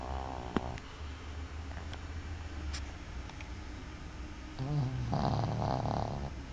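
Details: A pet dog sleeping indoors after a long day snores with a steady low rumble. Near the end the breathing grows louder into a wheezy, nasal stretch with brief clicks.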